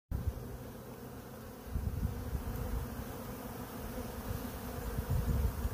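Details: A swarm of about 20,000 bees running into a box, recorded in real time: a dense, low droning hum that holds steady throughout, swelling louder in waves toward the middle and end.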